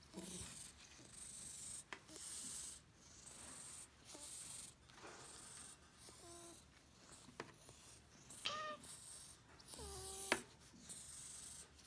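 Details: Odd-eyed white senior cat taken in from Tochigi in October 2018, indoors with resident cats; a few brief clear meows late in the clip, with softer chirps earlier, against hissing high background noise and occasional clicks.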